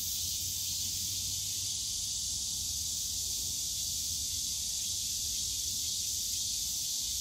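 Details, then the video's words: Summer cicada chorus in Yongsan Family Park's bamboo grove: an unbroken, hissing high drone holding level throughout, over a soft low hum of distant park and traffic noise. "용산가족공원 대나무숲 매미소리"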